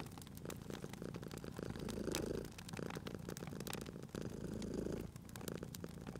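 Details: Drowsy cat purring next to a crackling fire, its soft low vibration swelling on each breath about every one and a half seconds, accompanied by frequent sharp crackles from the fireplace.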